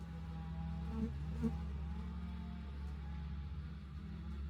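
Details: Honey bees at an insulated hive entrance in South East Texas make a steady low drone, with a couple of brief louder buzzes as bees fly close early on.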